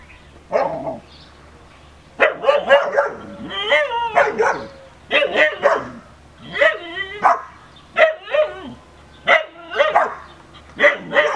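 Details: Female Siberian Husky vocalizing at the neighbour's dog across a fence, a string of short, bending, talkative howls and whines repeated in clusters roughly every second, some rising then sliding down.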